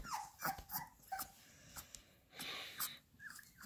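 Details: Young Labrador Retrievers feeding on minced beef make a few brief, thin, squeaky whimpers between sharp chewing and licking clicks in a small indoor room.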